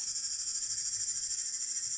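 A cicada gives a steady, high, shrill buzz that pulses slightly without pause.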